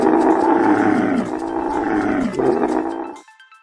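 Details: Camel, called the desert ship for going very long without water, giving a long, low, rough moaning grunt that falls in pitch, breaks briefly, then resumes before cutting off, with music in the background.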